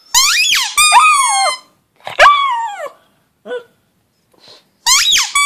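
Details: A howling pug gives sharp rising yelps that flow into held whining tones, two quick bouts at the start, a third after a pause, a faint short whimper, then a final rising cry.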